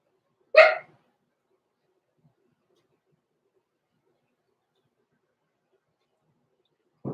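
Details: Blenheim Cavalier King Charles Spaniel puppy, six weeks old, in an indoor pen at night: one sharp, harmonic-rich yelp near the start, then long silence and a faint low thump at the end.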